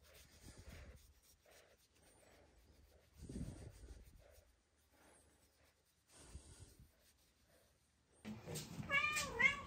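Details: Chloe (Kuroe), a female rescued cat with a congenital heart condition who lived shy of people as a house-bound stray for six years, gives a wavering, harmonic meow at the end, after soft rustles and thumps in a quiet room.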